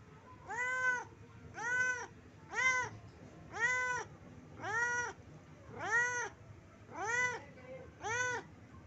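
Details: Pet cat asking its owner for food, giving a steady series of eight drawn-out, arching meows, roughly one per second, each rising then falling in pitch. The room is otherwise quiet.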